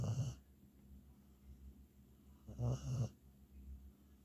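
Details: Sleeping beagle named Hunter gives two short, throaty snores, one at the start and another about two and a half seconds later, with quiet breathing in the gap.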